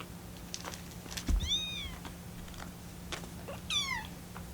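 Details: Rescued kittens, including Lucy, in their 25th day of care, call while waiting for cooling milk. Two soft, thin, falling mews about two seconds apart, with tapping and light clicking sounds in the room.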